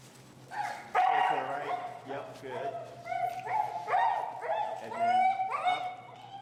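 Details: Finnegan, an extremely vocal feral husky, protests during heel training, disagreeing with a behavior as pressure is taught: a string of wavering, harmonic whines and yowls rising and falling, with the trainer's voice mixed in.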